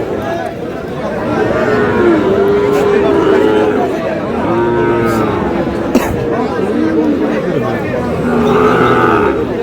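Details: At a Brahmanbaria cattle market, Sahiwal bull calves low in several long, arched moos, one after another, while traders talk and a busy crowd murmurs throughout.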